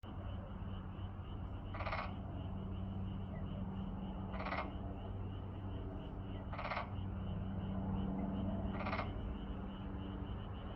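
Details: Frogs calling, short pulsed croaks repeated roughly every two seconds over a steady low hum and background chorus.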